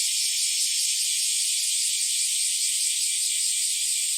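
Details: Chorus of bear cicadas and Kaempfer cicadas on an early summer morning in July 2023: a dense, continuous, high-pitched hiss that holds steady throughout with no breaks and no other sounds.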